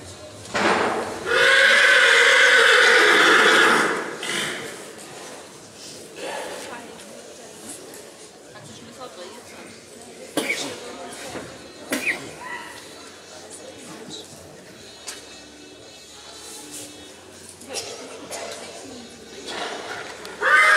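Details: Black Forest Coldblood stallion at the 2014 stallion licensing in Sankt Märgen, Germany, presented in hand and running free; one loud, long whinny lasting about two seconds early on, followed by hoof clatter, crowd noise and speech over a loudspeaker.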